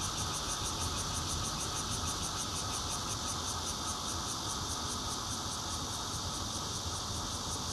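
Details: Bear cicada song from a fourth-floor home in Zhongli, Taiwan, taped 16 June with a Nokia Lumia 820; loud unbroken rasping buzz with fast regular high pulsing over a low rumble of background noise.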